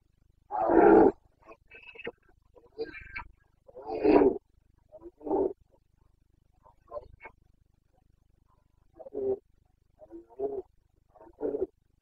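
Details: Carpathian red deer stag in rut in the Bucovina mountains, Romania, 29 September 2022: a powerful opening roar followed by a series of shorter, rasping grunts and bellows of decreasing strength over about twelve seconds.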